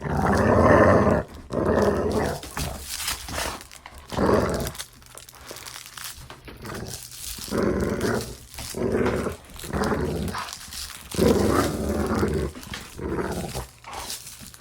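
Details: Dog play growling: rough, rumbling growls in bursts of a second or two, broken by brief pauses during play.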